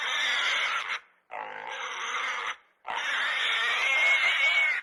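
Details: A domestic pig (Sus scrofa domesticus) gives three harsh, shrill squeals in quick succession.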